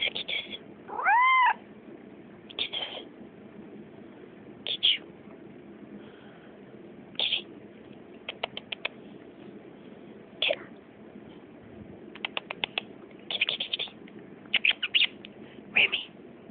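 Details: Female house cat with a squeaky voice makes one brief rising-then-falling meow near the start, followed by a long series of scattered clicks and taps.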